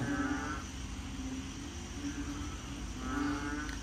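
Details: Frogs at home in Korat, Thailand, give low, droning, harmonic calls, one near the start and another near the end, on a rainy day at the start of the rainy season.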